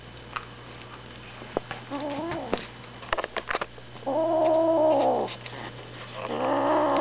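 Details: A six-week-old Savannah kitten, having its first taste of meat, gives drawn-out, moaning growls while guarding its "kill".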